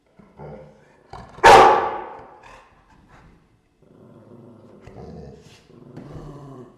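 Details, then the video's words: Indoor recording of dogs in a room. One sharp, rasping snarl-like burst rings out early, then decays with room echo. Quieter grumbling, rumbling dog sounds and shuffling follow for several seconds. "Dogs growling, room/ Warczenie psów, pomieszczenie"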